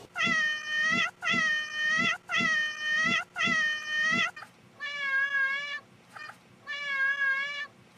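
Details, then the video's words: Cat meowing over and over, part of a compilation of cats and kittens: five strong, even meows about every three-quarters of a second, then two softer, more wavering meows after a brief pause. "cats meowing"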